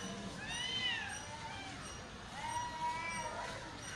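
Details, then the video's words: Two cats fighting on a street in Chennai: drawn-out wavering yowls, one rising and falling near the start and a long steady howl around the middle, over constant street background noise. "Cat fight on the street"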